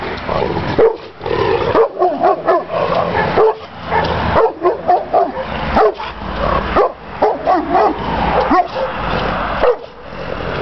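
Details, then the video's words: Yard-guarding Šarplaninac named Tajson barking hard and repeatedly, deep rough barks roughly once a second, some with a whimpering yip at the edges. "Sarplaninac Tajson cuva dvoriste."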